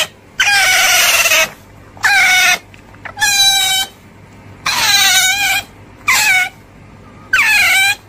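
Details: Otter uttering six bright, harmonic squeals with quiet gaps between, some steady and some dipping then rising at the end, spaced roughly one to two seconds apart.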